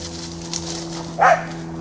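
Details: Corgis at play: Pembroke Welsh Corgi Kit romping with Cardigan Welsh Corgi Cleo before distraction-based training. One short, sharp yip sounds near the end over a low steady hum, followed by spoken training cues.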